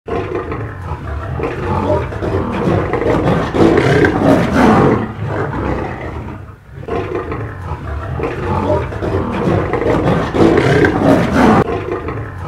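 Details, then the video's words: African lions fighting on the savanna, from reserves such as the Maasai Mara, Serengeti, Okavango Delta and Ngorongoro Crater; dense, continuous roaring and snarling in two long surges, with no clear break between calls. "Lions Fighting"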